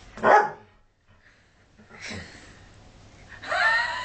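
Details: Collie cross dog barking to be let inside the house, making herself visible at the door; a sharp bark, a pause, then a higher whining bark and a longer rising yelp near the end.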